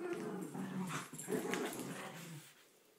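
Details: During a blanket faceoff between poodles Bailey and Chloe, a rough growl with snarling surges fades away over about three seconds.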